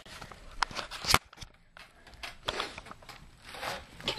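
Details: Indoors, scattered crackles, rustling and footsteps fill a small room with no animal call.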